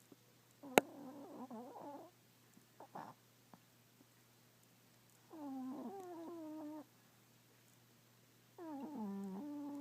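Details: Chihuahua in deep sleep, snoring: nasal, tonal snores with a stacked, whistly quality, each lasting about one and a half seconds, returning roughly every three to four seconds in a quiet room with a faint sharp click early on.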